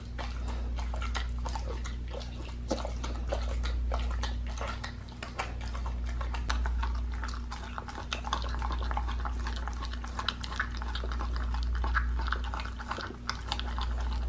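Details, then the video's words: Pit bull eating a raw leg of lamb, fed raw: long run of sharp crunching bites and wet slurping clicks, busy and uneven, over a continuous low hum. "ASMR MUKBANG PITBULL EATING RAW LEG OF LAMB"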